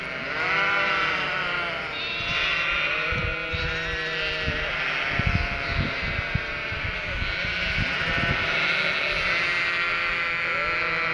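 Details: Chorus of Cotswold sheep and their three-week-old lambs, stirred up thinking the farmer is arriving with food; continuous layered baas, some deep and some higher lamb voices, plus scattered low knocks and shuffling.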